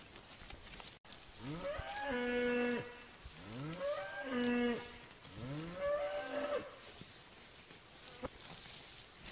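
A cow gives three long, drawn-out moos about two seconds apart, each a rich harmonic bellow that rises and then falls.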